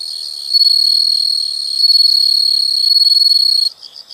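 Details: Insect sound from nature: an intense, unbroken shrill trill with a pure steady tone, cutting off abruptly to a few soft pulsed chirps.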